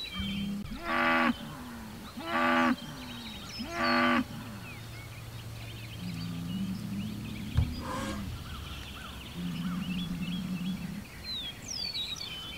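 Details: Hereford bull Homebrew trades calls with a neighbouring Hereford and an Angus bull, both within 100 yards across the road, June 17, 2023. Three short loud harmonic bellows in quick succession, then longer, lower drawn-out moos, with small birds chirping.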